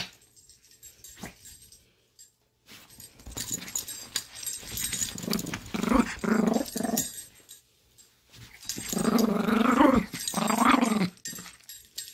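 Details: Chihuahua growling while playing, happy and then feisty; rumbling, buzzy growls in two bursts of a few seconds each, with scuffling noises and short quiet gaps between them.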